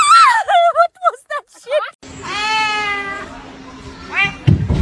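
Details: A kitten (Felis catus) gives quick, high, rising-and-falling meows, then a longer drawn-out cry.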